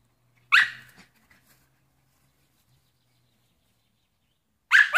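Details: Shiba Inu dog barking while playing and wanting a net; two sharp, loud barks, one at the start and one at the end, separated by about four seconds of near silence with faint rustling.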